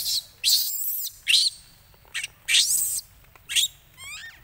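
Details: A baby monkey cries loudly while begging its mother for milk after she refuses it. Harsh, high, noisy shrieks come in about five short bursts, and a faint chirping trill follows at the end.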